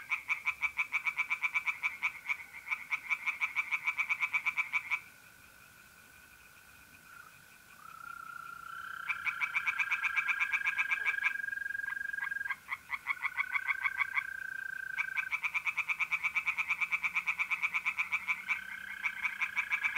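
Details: Pond tree frogs on an April night in north-east Italy give quick rattling pulse trains that break off and restart in bursts, overlapping continuous mole cricket trills that rise slightly in pitch.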